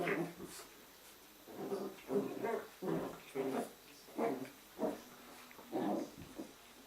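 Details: Jack Russell Terrier puppies from litter A, playing together during an evening in a kennel, give a series of short, rough growling bursts about every half second, mid-pitched and throaty, with small pauses between them.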